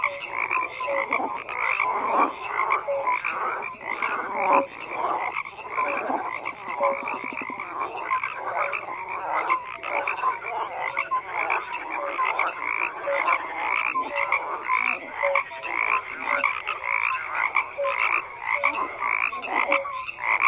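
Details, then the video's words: Many frogs calling together in a continuous croaking chorus, with rapid overlapping pulses and brief tonal notes layered over a steady dense din, no wind, water or voices. "FROGS CROAKING"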